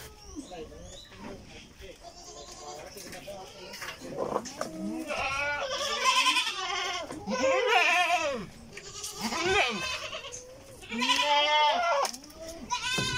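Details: Farm goats around a feeder tray in Karnataka, India, bleating repeatedly with quavering, nasal calls about every second or two, mixed with human speech and barn noise.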